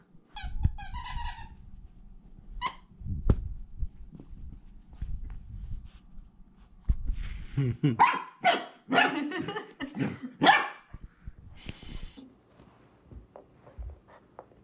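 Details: Male 8-week-old AKC Golden Retriever puppy, born in Switz City, Indiana, on his first day home. A cluster of short, harmonic, yappy barks comes mid-clip, mixed with people talking, clicks and handling sounds.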